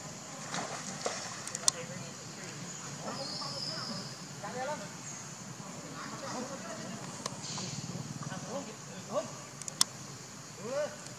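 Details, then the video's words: Leo, a hungry baby monkey, cries to its mother for milk: repeated short wavering whines and whimpers spread through the clip, ending with a sharper rising cry, against a constant high hiss and faint clicks. "Very Pitiful Leo Crying Angry Mom Because Need Much Milk I So Lovely Baby Monkey."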